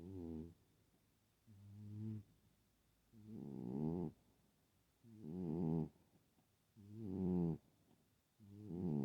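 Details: Loud snoring from a sleeping pet cat, alternating a softer harmonic breath with a louder rasping one, about six snores spaced one to two seconds apart, steady rhythm, quiet room.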